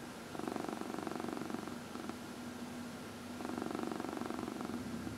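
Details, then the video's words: Purring house cat being massaged, one of four adopted cats; a fairly continuous buzzing rumble that swells in two long stretches, with a low, steady pulsed texture and little other sound in a small quiet room. "Four Purring Cats — Cat Massage"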